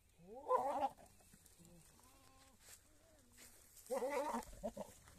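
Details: Big male goat kept on a goat farm for crossing and mating with many goats; two loud, quavering harmonic bleats, one near the start and one near the end, with quieter voice-like murmurs between them.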